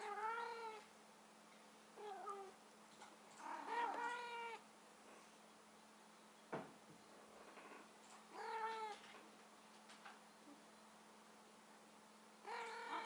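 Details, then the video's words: Domestic cats mating for the first time, the female calling: a series of drawn-out, wavering meows with rich harmonics, repeated in bursts every two to four seconds, with a sharp knock between calls and a steady low electrical hum. "Mating cats for the first time"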